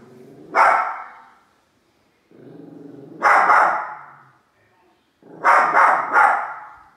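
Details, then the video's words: Pair of small dogs barking at a big toy: low rumbling growls building into loud bursts of barks roughly every two and a half seconds, some doubled. "Two little dogs bark at large toy"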